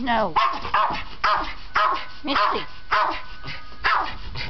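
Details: Pet dog worked up before a walk gives loud, sharp barks every half second or so, overlapping with a person speaking nearby.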